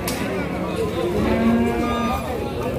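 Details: Cattle, tired after a long truck journey, at a livestock market; a long low lowing moo that bends slightly in pitch, over chatter and background music.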